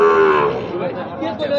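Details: Gir and Sahiwal breed bull calves, suited for farming, at the Ambari cattle market: one low, full-toned moo that holds steady for half a second and then fades into a murmur of market crowd noise.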